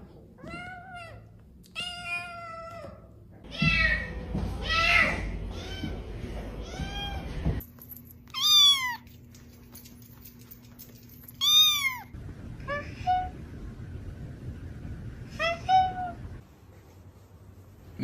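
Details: A male house cat meowing indoors while his owner asks if he is hungry. About seven drawn-out meows rise and then fall, each with a clear tone, with gaps between them. A low hum and some rustling sit underneath.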